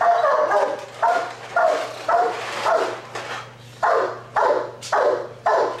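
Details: Giant Schnauzer working as a police dog, giving a run of about nine loud, deep barks spaced roughly half a second to a second apart, some in quick pairs, over a steady low hum.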